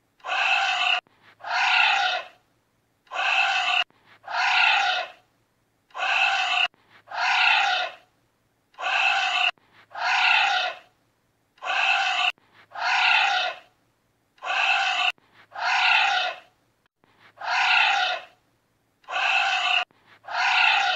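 Harsh, breathy roaring blasts from a giant anteater come in close pairs, each about half a second long. The pairs repeat steadily every two to three seconds with near silence between them.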